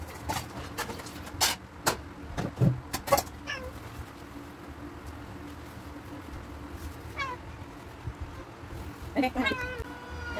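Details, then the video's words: Domestic cats squabbling indoors while waiting for their breakfast: sharp knocks and clatter early on, then a short rising-falling meow near seven seconds and a couple of wavering meows near the end. "A cats fights while waiting for their breakfast"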